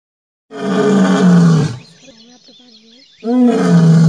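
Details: Large Asiatic lion roaring on a road outside the forest in Gir National Park, India: two loud, deep, drawn-out roars with falling pitch, separated by a quieter stretch of low grunting sounds.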